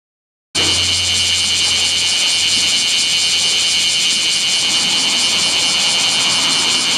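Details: Bear cicada singing beside a national road in midday heat above 39°C on 7 August 2020; a loud, unbroken, shrill buzzing drone with a fast pulsing throb that starts abruptly and holds steady throughout.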